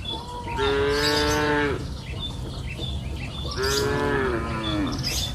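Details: Cows mooing on a green pasture hill in the warm afternoon, grazing freely: two long, harmonic-rich lowing calls, each about a second long and slightly falling at the end, separated by a pause, over a low rural background hum.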